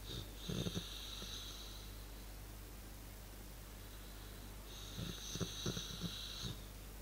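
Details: Relaxing dog giving funny snorting, snore-like breaths: two rough bursts, each about one and a half seconds long and made of several short crackly pulses with a breathy hiss, separated by a quiet pause of about three seconds.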